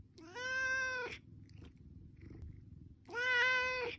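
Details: Cat begging for its meal with two long, drawn-out meows, the first lasting about a second, the second starting after a pause of two seconds, rich in harmonics, with soft low hum and faint clicks between.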